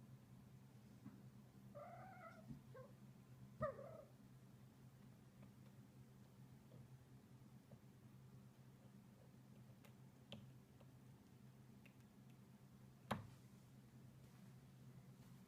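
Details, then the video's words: Playing Munchkin cat Loki, a male, gives short warbling trills indoors, a pair of brief chirrups close together around the second and fourth seconds, then quiet with a steady low hum and a few small knocks. "Loki making a trilling sounds as he plays"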